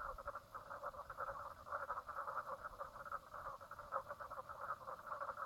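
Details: Many frogs calling together at Brown Lake on Queensland's Stradbroke Island, Australia, late morning, 04/03/2017; a rattling, rapidly pulsed chorus forming an unbroken wall of sound with slight rhythmic swells.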